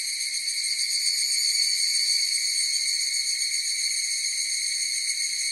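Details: An evening cicada (higurashi) chorus: a bright, high, unbroken metallic ringing with a faint quick pulsation running through it. The level stays steady for the whole clip, with no other animals or noises.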